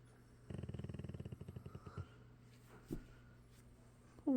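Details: Sassy, a red fox Labrador retriever, home from a long walk and crashed asleep in her big bed, lets out a low pulsed rumbling growl lasting about a second and a half, fading into quiet breathing, with a soft sound at the end.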